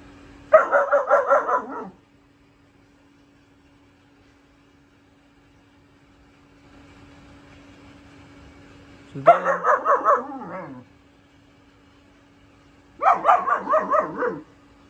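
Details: German shepherd puppy, four months old, gives three separate bursts of rapid, pulsing barks several seconds apart, with quiet gaps and a faint steady hum between them.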